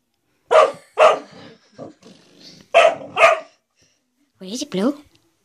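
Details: Male dog barking at a blue door stop it appears to see as a threat; two pairs of sharp barks with soft rumbling between, then a person speaking in a small room.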